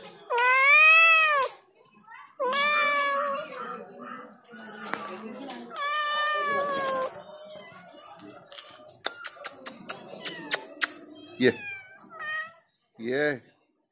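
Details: Very loud domestic cat meowing: several long arched meows in the first seven seconds, then sharp clicks and taps, a short low downward cry and a final brief meow; a faint constant high tone is present.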